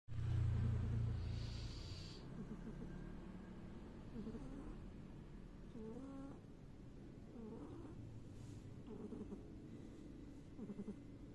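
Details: A domestic cat snoring while asleep: a rough, low rumbling, loudest in the first two seconds, then a softer continuous low breathing drone with faint higher murmurs.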